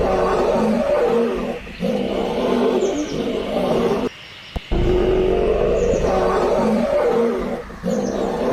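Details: Wild lionesses in South Africa growl together against a male lion that took their kill, rising from soft to loud. Deep, rough, overlapping growls roll on continuously, broken by one abrupt near-silent gap midway.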